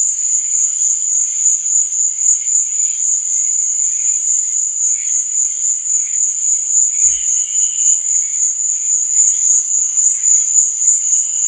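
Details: Crickets chirping at night: a dense, unbroken high trill with a steady pulsing throb, plus softer scattered chirps lower down and one brief low thump near the seven-second mark.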